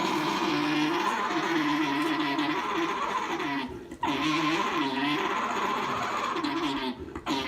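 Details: An alpaca gives a steady, gargling, wavering hum with brief pauses, the noise alpacas make when mating, here from a young male mounting his mother on a farm.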